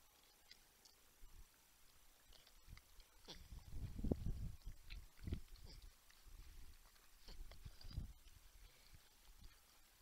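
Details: Grunting wild porcupines on a live deer cam in San Angelo, Texas, with a 10-point buck and a raccoon nearby. Deep, rough grunts come in bursts, loudest in the middle, over light rustling.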